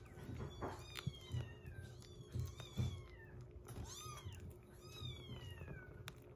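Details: Rescued kitten indoors on day 47 of a growth record, where one kitten eats weaning food while a baby cat drinks milk; several short high meows, arching then sliding down, come irregularly over a low room rumble with soft knocks.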